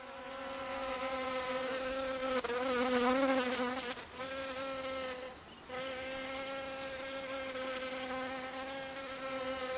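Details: Asian hornet (Vespa velutina) at apiaries, where electric harps and muzzles are tested to ease its pressure on beehives. Steady droning buzz with a low hum and stacked overtones, wavering in pitch midway and briefly dipping before resuming.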